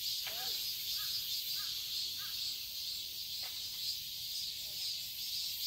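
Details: Summer cicadas in a garden in Seoul, Korea, producing a loud continuous sizzling drone, while a few short, faint lower chirps from other creatures break through at intervals.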